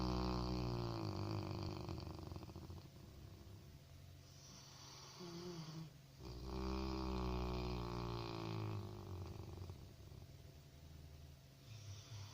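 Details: Labrador Retriever puppy snoring in its sleep: deep, rhythmic rasping breaths held low in pitch, swelling louder for a few seconds midway before easing back to a softer, even rumble.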